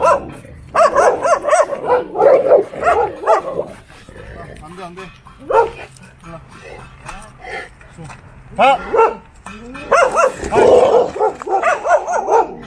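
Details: A one-year-old male Cane Corso, leaving home for a walk, lunges at a loose four-year-old female Jindo from the house behind, barking in deep, rapid, rough bursts, with people talking nearby.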